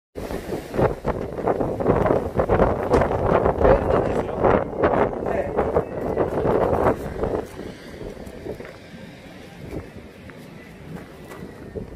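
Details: A person talks outdoors over gusty wind buffeting the microphone, and the voice fades out in the second half, leaving only wind noise.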